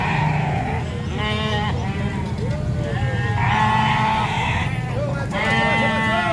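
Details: Sheep at a market giving repeated trembling bleats, several overlapping at times, against continuous low traffic or engine noise and nearby voices.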